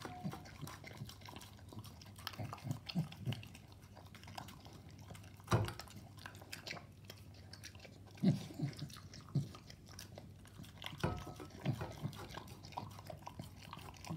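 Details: Staffordshire Bull Terrier eating a mix of raw meat and dog food indoors: wet chewing and biting, with sharper crunches and clicks at irregular moments, near 5.5, 8.3 and 11 seconds, over a low steady hum.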